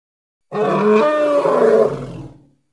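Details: Hippopotamus from the Congo giving a single harsh, harmonic grunting roar lasting about two seconds, steady then fading, with no other sounds around it.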